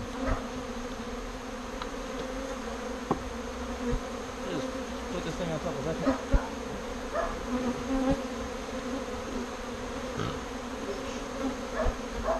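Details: Confused bees circling the post where their birdhouse home stood before being moved to a bee box. A continuous droning hum holds steady throughout, with faint passing wingbeat whines.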